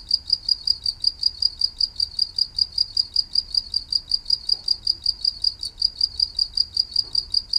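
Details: Cricket chirping as soothing nature sound for rest: a steady train of high, even pulses, about five per second, unbroken throughout, with a faint low rumble underneath.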